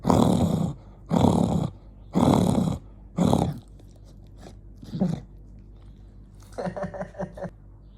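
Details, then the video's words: Dog called Jonggi, angry, lets out four strong harsh growls about once a second, then softer shorter grumbles and a final stuttering, pulsed growl. "Jonggi the dog get angry"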